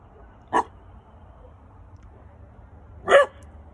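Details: Three-month-old male Weimaraner puppy in Oklahoma on night watch, having just learned to bark: two short, sharp puppy barks about two and a half seconds apart over a quiet low hum.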